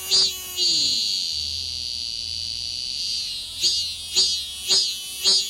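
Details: Cicada clinging to a window screen in the city, acting as a morning alarm that forces sleepers awake; a steady high-pitched buzz gives way to short pulsed bursts repeated about twice a second.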